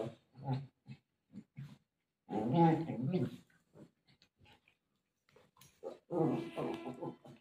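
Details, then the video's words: Golden retriever eager to find its owner during play lets out two loud, drawn, groaning howls about four seconds apart, between scattered soft clicks and short low grunts. "dog is desperate to search mom || cute golden retriever dog playing with mom"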